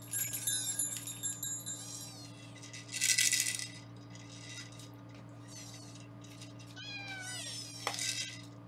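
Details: Indoor foster kittens in Los Angeles during weighing: squeaky, bending meows overlap in a cluster, broken by loud rattling and rustling bursts, over a constant low electrical hum.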